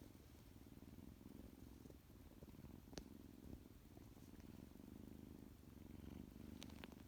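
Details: Freshly woken from his nap, tuxedo kitten Tuxie keeps up a low, rhythmic purr, a steady rumbling pulse broken by a sharp click near three seconds and small scratchy noises near the end.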